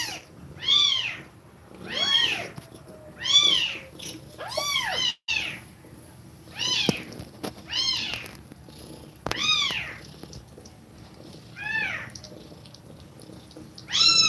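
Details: Mother cat breathing fast while nursing her kittens; high, arched mewing calls come in separate bursts about every one to two seconds, rising then falling, with brief clicks between them in a quiet indoor setting.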